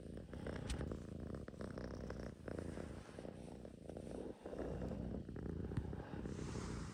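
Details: Russian Blue cat purring indoors: a steady, low, rumbling purr that holds through the whole stretch, with brief dips in loudness and a faint soft hiss above it.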